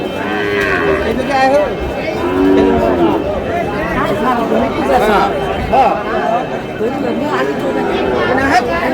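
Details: Sahiwal bull calves at a crowded cattle market, bought by a farmer from Comilla, Bangladesh, on 27 March 2026: several overlapping lowing moos, some drawn-out and wavering, rise over steady chatter and bargaining voices from the crowd.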